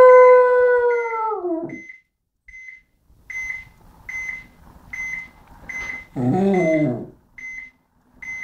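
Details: A small pet dog's long howl slides downward and fades out. Steady high electronic beeps then continue, and the dog gives a brief wavering, yelping howl before the beeping resumes.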